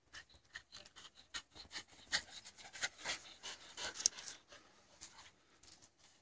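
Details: Australian Shepherd contesting a stick, heard as quick, hissing pants and huffs in uneven clusters, loudest around the middle, then trailing off into softer breaths with light rubbing sounds.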